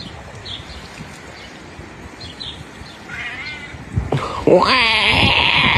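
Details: Over a background hiss, a cat lets out a loud, strained meow that bends up and then down, following a fainter, quieter mew a second earlier.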